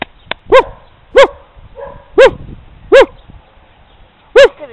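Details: Snowball, a female chihuahua puppy, plays in the snow beside a snow pup made for her. She gives five sharp, high yipping barks, spaced roughly a second apart, against a quiet background.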